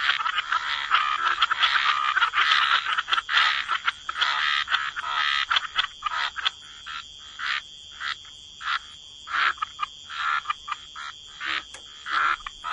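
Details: Frogs croaking in a waterside wetland, a thick overlapping chorus at first that gives way to evenly spaced rasping croaks, roughly eighty bursts a minute, with a thin high tone throughout.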